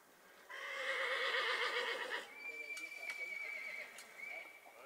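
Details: Horse pulling a restored Dollé No. 17 horse-drawn mower during a trial run: a loud, quavering whinny with layered harmonics lasting about two seconds, followed by a thin steady high tone, clicks and a man urging "allez".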